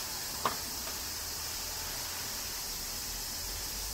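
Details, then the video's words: Kyoto cicadas singing in summer rain, Japan: a steady high shrill hum runs throughout while a single sharp knock sounds right at the start. "Cicadas Summer Rain - Zen Sounds of Kyoto, Japan"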